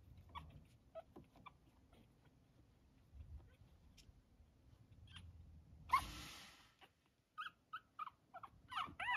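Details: Two 22-day-old Chihuahua puppies, Elise and Marcel, playing in their whelping box; a broad rustling burst midway, then a quick run of short, high, thin squeaks and yips toward the end over soft scuffling.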